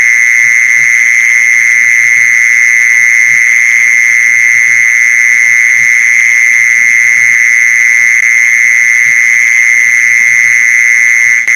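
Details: Mole cricket call played to lure mole crickets: one unbroken, steady buzzing trill at a single mid-high pitch with faint overtones, holding the same loudness throughout. Soft low knocking sounds lie beneath.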